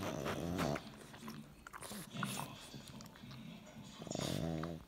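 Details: Pug showing affection to his little brother: nasal grunting and snorting at the start and again near the end, with soft growly rumbles and faint voices between.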